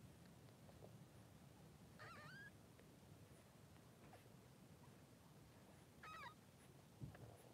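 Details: Three-day-old newborn Blenheim Cavalier King Charles Spaniel puppies, two boys, in a puppy pen with their mother Pom-Pom. Two brief, high, wavering squeals about four seconds apart over a steady low background hum.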